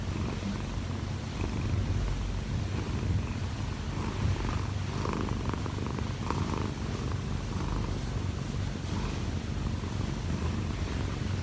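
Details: Munchkin cat Kkobugi, odd-eyed and one year four months old, kneading atop its owner who slept late. Steady low purring rumble with soft rustling and brief mid-range scraping sounds.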